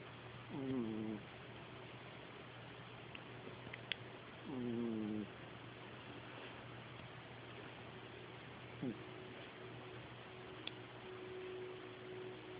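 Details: A cat snores in its sleep: two drawn-out buzzy, tonal breaths about four seconds apart, then quieter breathing and a faint steady tone against constant background hum.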